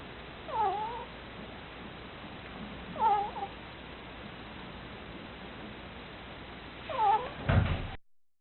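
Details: Sleeping pet ferret snoring: three thin, nasal, arching squeaks, one roughly every three seconds, over quiet room hiss, ending with a brief thump.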